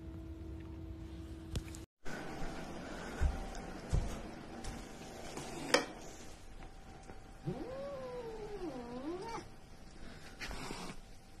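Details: Domestic cat giving a drawn-out, wavering caterwaul near the end, its pitch swooping down and up several times over about two seconds, after scattered thumps and knocks in a quiet room.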